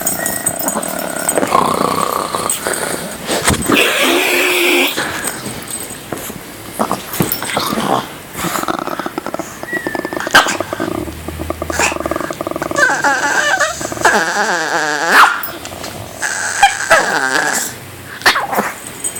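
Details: Pet dog about 10 to 12 years old, recorded indoors on January 25, 2014, making funny noises when provoked: wavering, moaning whines and growly grumbles that rise and fall in bursts, with a person speaking at times and handling noises.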